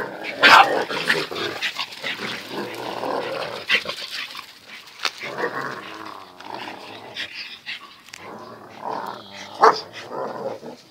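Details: Zion and Tyson, two dogs, in their everyday fierce fight-play; a loud snarling bark opens a stretch of continuous rough growling and grumbling, with another sharp bark near the end.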